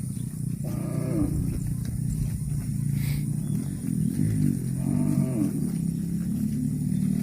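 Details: Cattle eating grass, giving two drawn-out mooing calls, one early and a second about four seconds later, each a rich, slightly falling low bellow over a steady deep droning hum.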